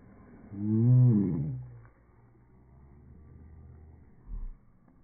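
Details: Domestic dog making a bear-like roar: a single low, throaty groan of about a second that swells and then trails off into a faint rumble, followed by quiet room noise and a soft thump.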